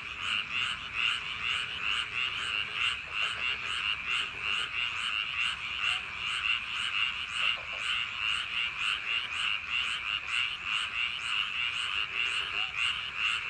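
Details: Night chorus of frogs in summer paddy fields, a continuous pulsing trill of overlapping croaks, with a few faint lower notes briefly audible beneath the main chorus.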